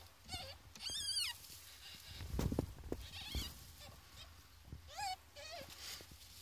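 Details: Ferret kits at fourteen days old, calling in short bursts of thin, high, quavering squeaks that waver up and down in pitch, several in a row, over low rumbling handling noises.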